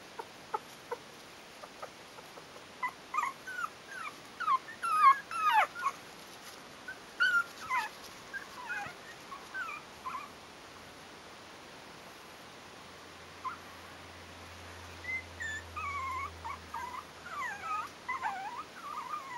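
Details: Yorkshire terrier puppies of litter "A", Bijou's four-week-old pups at Stellar Garden kennel, giving scattered thin whimpers and squeaky yips. Calls are busier early on, then a quiet gap, then softer repeated whines return over a faint low hum.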